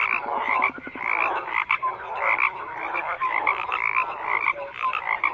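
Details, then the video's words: Many frogs call together in a thick, unbroken chorus. Buzzy pulsed croaks stack up beside brief whistle-like notes, and a burst of fast clicking pulses stands out near the start. "FROGS CROAKING"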